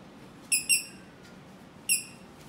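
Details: Bichon Frise × Toy Poodle mix puppy in a Japanese pet shop gives three short, very high, thin squeaky yelps, two close together then one more after a pause, in a quiet indoor room.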